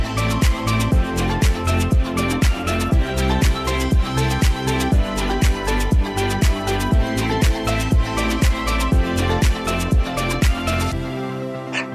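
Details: Upbeat dance music with a steady pounding beat of about two per second and bright percussion, ending in a brief low rumble; no animal voices.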